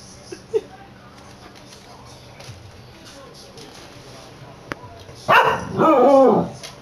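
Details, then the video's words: Corgi named Milford "singing" to his beloved cat in the hallway, captured on a PS Vita: after a quiet stretch, two sustained wavering howl-like phrases close together, with faint household noise before them. "Milford sings to his cat"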